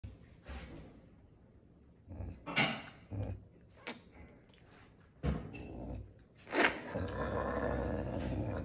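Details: A caracal eating a chicken gives harsh, rasping growls and hissing bursts at irregular intervals.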